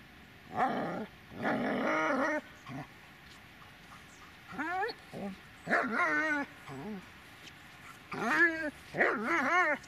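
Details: Dobermann Magmar Von Der Burgstätte vocalising in several short bouts, rough barking early, then rising and falling whiny yelps repeated over the last half, with quiet pauses between.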